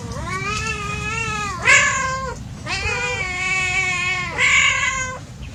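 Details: Playing cats trading loud, drawn-out caterwauls: two long harmonic-rich wails with slight rises and dips, separated by a sharp bright burst, the second wail ending in an abrupt higher shriek.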